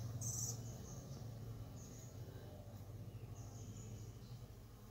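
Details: Honey bees humming at their hive entrance 45 minutes after robbing, 5:15 pm; an unbroken low buzz with fluttering intensity, punctuated by several brief faint high chirps from another source.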